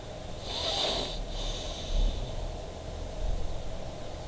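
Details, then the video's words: Fındık, a pet dog, snoring while asleep indoors: a few soft, breathy, rasping snores swell and fade over about four seconds, the clearest near the start, with a low steady room hum underneath. "Snoring dog - Horlayan köpek"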